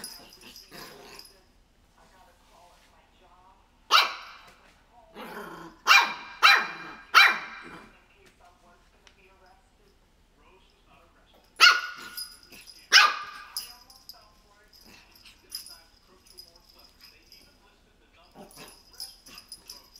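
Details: A 3-month-old Shih Tzu puppy gives sharp, high yappy barks in short bursts, barking at crocs shoes.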